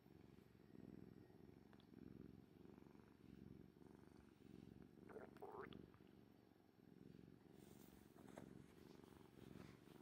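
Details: Domestic orange tabby cat purring close up, a low rhythmic rumble pulsing with its breathing, interrupted midway by a brief higher squeaky sound; a person's after-meal stomach gurgling may also be present.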